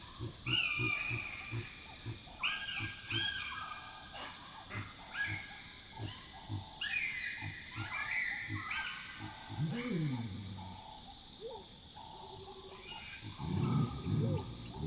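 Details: Chacma baboons (Papio ursinus) at night in Northern Tuli Game Reserve, Botswana, give harsh alarm barks, typically triggered by a nearby predator, over a run of deep, rhythmic grunts.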